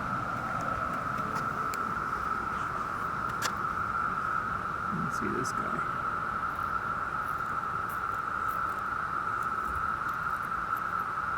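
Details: A dense chorus of millions of emerged 17-year cicadas in woods makes a steady, droning, howling whine that never lets up, said to reach 90 dB, lasting for weeks.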